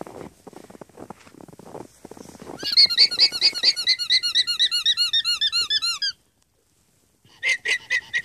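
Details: Alpacas squeaking in alarm at a fox in the field: footsteps and rustling first, then a fast, even burst of about fifteen piercing squeaky notes, a short pause, and another squeaky burst.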